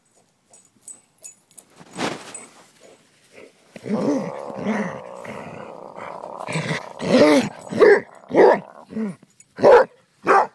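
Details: During fetch on May 28, 2012, pet dog Annie growls in a long, rumbling stretch, then breaks into a series of short barks at roughly half-second intervals; a few soft clicks come before.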